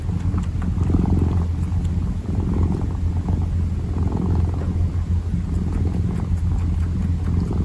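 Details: A kitten purring while kneading: a continuous low rumbling purr with a steady pulsing texture and no breaks, with faint soft rustling over it.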